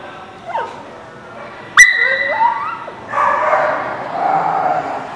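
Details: Dog at The Barking Lot, recorded 11/10/17: thin whistled whines slide up and down, then a longer stretch of rough, noisy barking.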